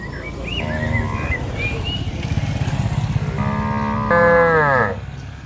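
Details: Cattle wandering a large pasture while being herded; a steady low rumbling engine-like noise throughout, over which a cow gives a loud, falling moo near the end.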